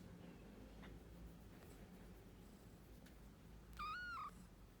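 A kitten gives one short, high-pitched meow that holds steady and then dips slightly at the end.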